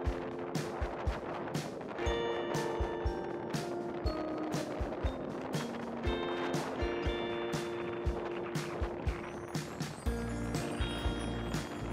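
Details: Upbeat music with steady percussive hits over the low rumble of wheels rolling on pavement; no animal voices.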